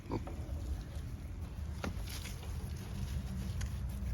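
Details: Baby pig Elisabeth on a farm: a few brief soft grunts near the start and middle, mostly masked by a constant low rumble of background noise.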